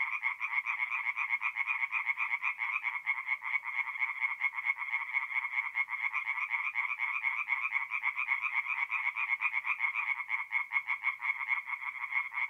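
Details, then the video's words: Tree frogs singing at night in a forest pond in mid-April, north-east Italy: a dense, continuous chorus of rapid, rasping pulsed croaks that overlap into an unbroken throbbing wall of sound with no pauses. "relaxing forest pond by night with singing tree frogs"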